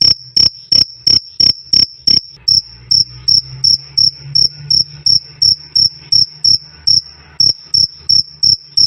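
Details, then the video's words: Loud, clear cricket chirping used for tutoring cage birds: bright, piercing pulses roughly three each second. There is a brief softer stretch midway, then the even rhythm resumes, with a faint low hum beneath. "Suara Jangkrik "Krik Krik" Keras Dan Jernih"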